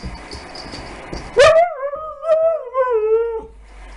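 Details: Dog during a first meeting between 15-week-old puppy Harley and Siberian Husky Lasky; after a low rustle, a sharp yelp slides into a sustained, wavering whine with faint lower yips, slowly falling in pitch before stopping.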